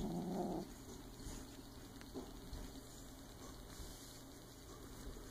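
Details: A silver Bengal kitten playing with a toy gives a brief, low, rough growl, followed by softer rumbling.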